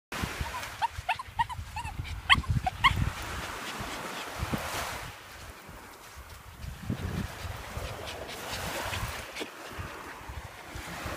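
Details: A nervous 20-week-old West Highland White Terrier puppy on its first trip to the seaside gives a quick run of short, sharp barks and yips in the first three seconds, then quieter outdoor rumble and wind-like noise.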